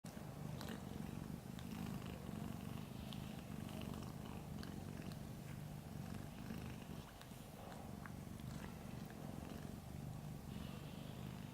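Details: Small ginger cat asleep, purring: a continuous low, throbbing rumble that runs steadily the whole time without a break, with faint soft clicks and rustles above it.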